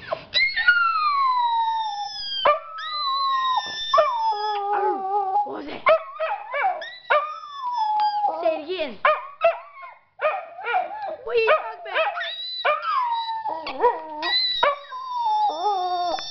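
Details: A Dachshund barks at a high-pitched noise with long, wavering, high howls and yelping whines that slide up and down in pitch.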